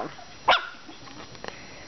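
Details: Maltese puppies, five weeks old, playing. A single sharp, high bark rings out, followed by faint, softer yaps against a steady low hum.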